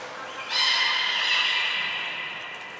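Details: Belugas Hodoi, Taanya and Mirai, kept at Port of Nagoya Public Aquarium in Japan, during pool transfer and training on 23 February 2021; a single long, steady, reedy whistle with strong overtones slowly trails off.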